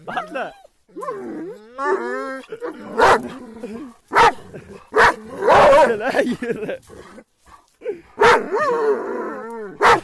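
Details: Kangal dogs on the attack, a tangle of rough growls, wavering whines and scattered heavy barks overlapping one another with little pause.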